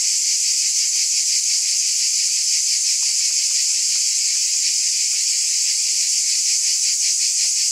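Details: Shrill, continuous cicada drone with a fast rippling pulse, even and unchanging in volume, joined by a few soft clicks partway through.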